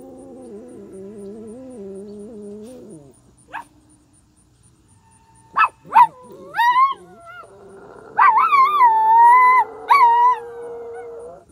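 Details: Dogs in a small town in Mt. Carmel, Tennessee, howling in response to horn sounds heard from the sky; a steady, horn-like droning tone comes first, then several rising and falling wavering howls, some overlapping, after a short pause.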